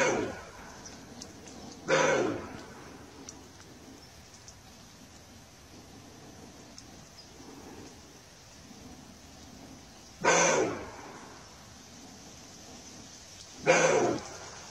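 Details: Roe deer (Capreolus capreolus) gives short, harsh barks spaced several seconds apart over a quiet background.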